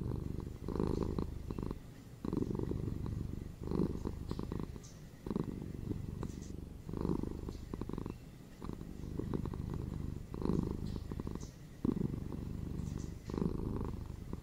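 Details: Pet cat purring close up inside a room, a low throaty rumble broken into repeating breath-length swells every one to one and a half seconds.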